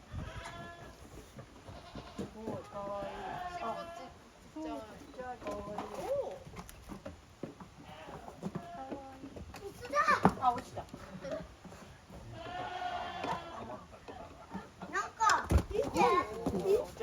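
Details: Goat kids romping in an exercise yard at a handmade goat farm, 30 April 2023. They give many short, shaky bleats in quick succession, some higher and strained, with occasional knocks and scrapes between.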